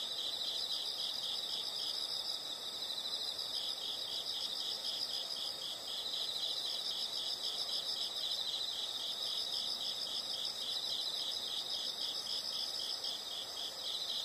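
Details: Continuous high insect chorus with regular quick pulses, about three to four per second, unchanging over the whole stretch, set against a faint hiss of background noise.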